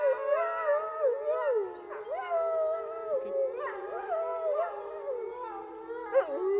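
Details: Several gray wolves at a zoo in Neuruppin, Germany, howl together on 28 July 2022, their long wavering notes overlapping and sliding up and down.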